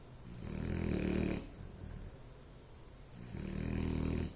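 A Bloodhound snores deeply, each long rumbling breath rising and fading with a pause between.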